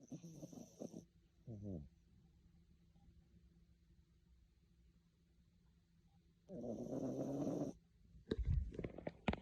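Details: A tired dog snoring in its sleep: a harsh, rattling snore, then a short second one, a long quiet pause, a longer buzzy snore, and finally some clattering and shuffling noises.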